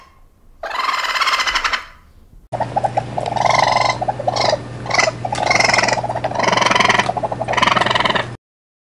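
A raccoon gives harsh, wavering chitters and squeals in uneven bursts over a steady low hum.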